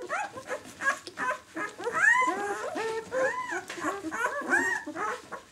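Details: Several six-day-old White German Shepherd puppies from the "of White Night" B litter give soft arched whines and squeaks, overlapping and fairly quiet.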